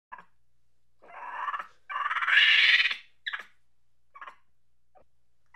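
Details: Angry monkey chatter: harsh, rasping bursts of rapid pulsed squeals, the longest building louder and higher over about a second, followed by short clipped barks separated by silence.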